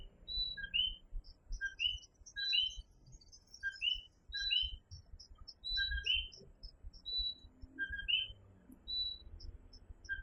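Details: Dense nighttime chorus of coquí tree frogs in Fajardo, Puerto Rico, many overlapping co-qui whistles rising in pitch, with a fainter high-pitched ticking chorus of smaller callers above and steady low rumble.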